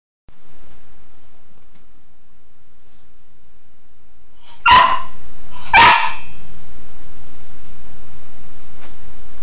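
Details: Cairn terrier playing in the shower gives two short, sharp barks about a second apart over steady rushing shower water.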